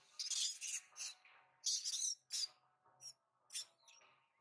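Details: Baby monkey crying for its mother's attention in Siem Reap: a series of shrill, high squealing cries in short bursts, about seven in four seconds, some long and wavering, others brief, with a faint background hum.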